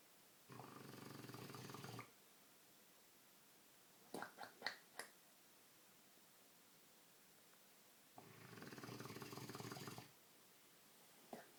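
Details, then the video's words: Dogue de Bordeaux named Milo, sound asleep, gives two drawn-out buzzing inhalation snores about six seconds apart. Between them comes a burst of short snuffling clicks, and the room is otherwise quiet. "Milo Snoring"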